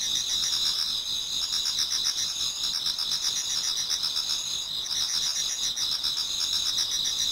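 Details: Japanese garden in autumn before dawn, many insects singing together: high continuous ringing notes mixed with fast repeated pulses, a dense even chorus without other sounds.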